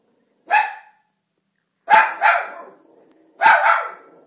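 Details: Marty, an Italian Greyhound, barks at Moses on television in The Ten Commandments: one short bark, a pause, then two quick double barks, each bright and punchy, in a quiet room.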